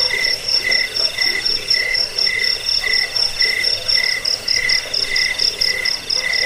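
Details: Chirping jangkik cricket, used as a rat repellent, sleep sound and bird-training track: continuous shrill trill of short high beats, a lower pulsed tone running alongside, even and unchanging throughout.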